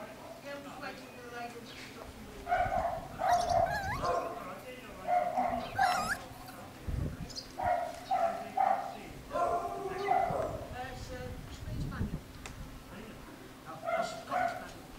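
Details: Miniature Schnauzer puppies from a new litter at a UK breeder, giving short high whimpers and yips with rising, wavering tones in bursts every second or two, while a person talks over them throughout.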